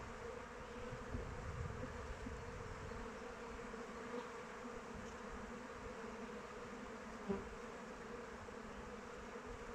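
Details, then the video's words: Honey bees flying around the hive in open weather, giving an even, thick humming drone; a low rumble swells early on and a single bee buzzes close past around seven seconds. "Bees flying around hive"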